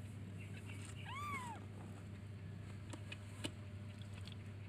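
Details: Baby kitten meowing as it looks for and calls its mother: one clear arched, rising-then-falling meow with harmonics, over a steady low hum and faint clicks.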